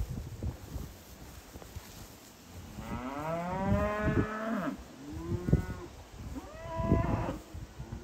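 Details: Angus/Hereford cows and calves: a long, wavering moo with a slightly rising then falling tone, followed by two shorter moos a second or so apart, over low rumbling background noise.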